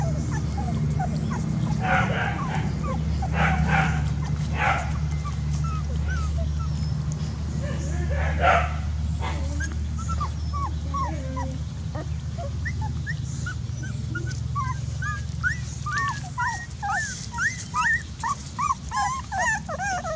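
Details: Dog sounds over a constant low hum: rough, clattering bursts during the first half, then a rapid string of short, squeaky whimpers and yips growing louder toward the end.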